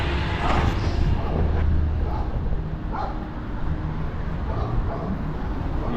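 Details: A local dog barks in short, repeated bursts from a distance at the speaker on a sunny day in Mexico's Yucatán Peninsula, over a man talking and a low traffic rumble.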